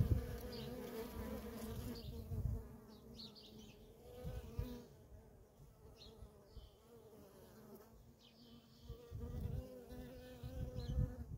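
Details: Busy feral colony of honey bees, workers in constant flight traffic, giving a continuous low hum with a clear tonal band and passing buzzes, broken by several short bursts of low rumble.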